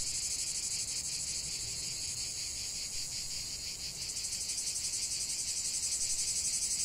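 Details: Cicadas in full song outdoors: high shrill buzzing with regular rapid throbs, one voice fading midway as another, slightly higher, takes over and pulses strongly to the end.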